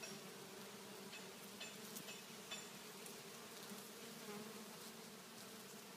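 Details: Bees swarming on a kumquat tree in a front yard, a continuous layered buzz of many wingbeats holding even in loudness throughout, with faint ticks above it.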